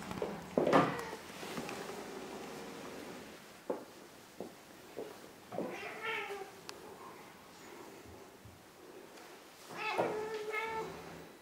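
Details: Ragdoll cats, one big and one small, indoors: a short strained meow early, a longer drawn-out harmonic meow near six seconds and another toward the end, with soft knocks and rustles between.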